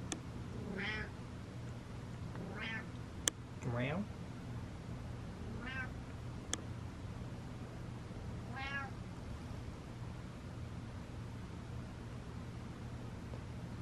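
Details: Domestic cat giving a series of about five short meows, each a stacked rising-falling call spaced a few seconds apart, with two sharp clicks and steady low background hum.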